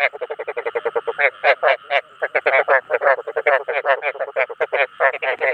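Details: Rice field frog calling to draw in other frogs: dense, fast series of rasping, pulsed croaks, some louder and longer, repeated almost without break over a faint background hum.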